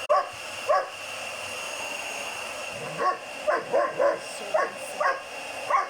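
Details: A 7-month-old German Shepherd puppy named Hogan barking at a vacuum cleaner he hates, sharp yappy barks in short bursts over a steady whining motor hum.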